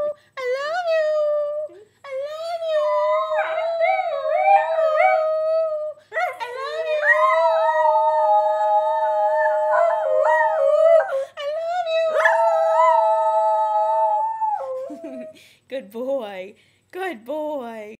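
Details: Max, a male Italian Greyhound, "sings" a drawn-out, tuneful howl that bends up and down in pitch. The long notes break off briefly and resume, ending in shorter, yodelling wavers, like singing "I love you".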